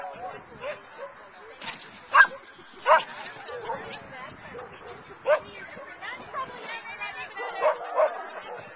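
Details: Rain, a dog at the CarDunAl agility trial on Oct 18, 2009, barks at her handler, eager to run. Sharp single barks land about every second or two, some in quick pairs, over steady human talk and background crowd noise.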